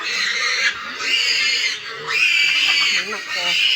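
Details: Piglets 25 days old and a pregnant sow kept in a backyard piggery in the province; loud, drawn-out high squeals in bursts with short breaks between them, with quieter grunting underneath.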